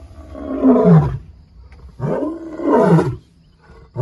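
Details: A male lion (Panthera leo) in Kruger, next to a vehicle, gives two deep, moaning roars about two seconds apart, marking territory and warning other males he is back in his area.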